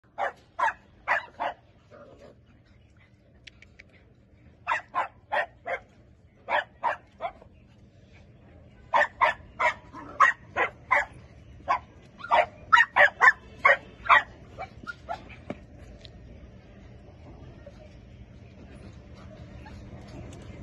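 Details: Akita. An Akita puppy barks in short, sharp bursts, often three or four yips in quick succession. Quiet pauses separate the runs, and a faint steady background hum rises toward the end.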